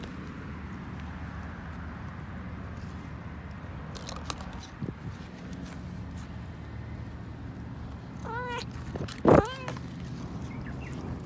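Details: Friendly female pet cat giving two short, clear meows in close succession near the end, each with a rising then falling tone, over a steady low background hum and a few faint clicks.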